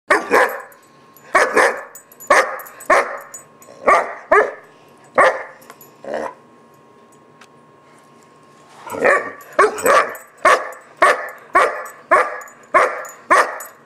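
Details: German Shepherd puppy named Gunner, about 4-5 months old, barking during a temper tantrum: loud sharp barks in rapid bursts, roughly two per second, with a pause of about two seconds before the barking resumes.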